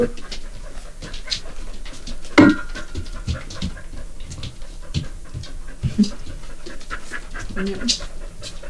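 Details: Border Collie Maro, eager to keep dad all to itself, panting in steady breathy bursts roughly twice a second, with human voices talking over it and one sharp knock partway through.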